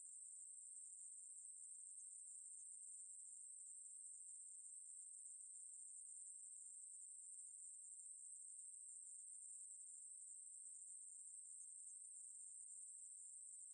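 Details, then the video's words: Ruspolia katydid producing a sustained, piercing buzz with no pauses, level in pitch and loudness throughout. The background is otherwise quiet. "매부리, 여러번 듣기, 곤충소리"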